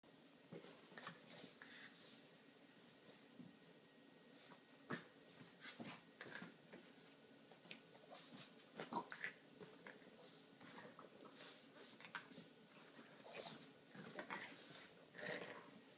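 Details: A female Boston Terrier puppy huffs, snuffles and whimpers softly in quick, irregular bursts while play-fighting with a domestic shorthair cat over a chair, with scuffles and thumps in a quiet indoor room.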